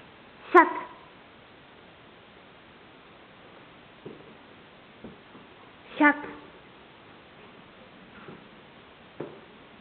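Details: Border Collie named Stroszek, 15 months old, playing at home indoors; two short, sharp harmonic barks about five seconds apart, with soft knocks and taps between them in a small room.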